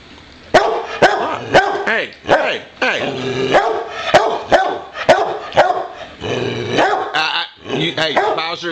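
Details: Boxer named Bowser barking at home because he wants to play again; sharp barks repeat roughly every half second, mixed with a man's voice talking over them and some whining, yelping tones.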